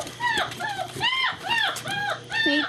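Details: German Shepherd puppies running and playing together, recorded 2-5-2012: a run of high, arched whining yelps with bright harmonics, about five in under three seconds, while a person talks to them nearby.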